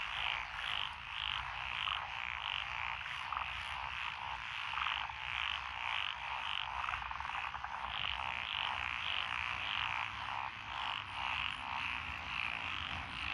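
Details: Dense frog chorus in lotus rice paddies beside a rural road in Echizen, Fukui, Japan, 12 June 2021. Japanese tree frogs, pond frogs, wrinkled frogs and green tree frogs give overlapping rapid croaks, pulsing nearly twice per second without pause.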